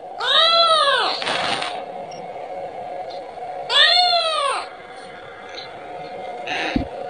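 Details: Kitten crying for its mother to get milk, giving two drawn-out bowed meows about three seconds apart, followed by brief rustling and a soft click against a steady background hum.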